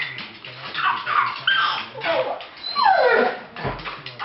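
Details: A dog gives a run of high whining cries that slide downward, some drawn out and some short, with brief pauses between them and faint human voices in the background.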